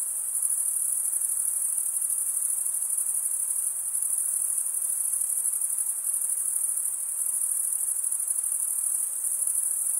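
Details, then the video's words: Continuous high-pitched cricket stridulation, the wing-rubbing chirp mainly made by males, forms a dense ringing drone with small rises and falls in volume. "Most relaxing cricket sound for 8 hours"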